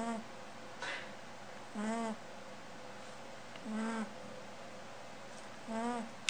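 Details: A female bunny deep asleep, snoring in regular buzzy hums with rising overtones, four breaths roughly two seconds apart, a faint tick in between, quiet room noise behind.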